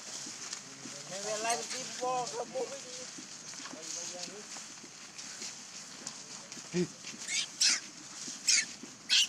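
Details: Mother monkey with her baby: a burst of high, wavering squeals in quick succession over steady hiss, then several sharp knocks or clicks.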